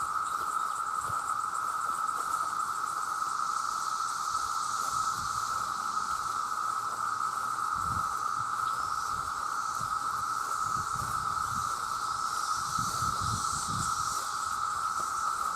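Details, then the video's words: Male cicadas in their millions call to attract mates with a sound loud enough to harm hearing. A continuous droning tone never pauses, topped by a wavering high hiss, with occasional low thumps. "The Sound of The Cicada"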